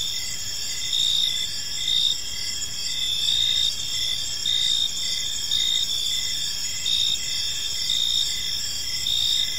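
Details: Crickets chirping on an evening in a peaceful park: several layered high, steady trills with a lower pulsed chirp repeating rapidly, and louder swells roughly every second over faint low background rumble.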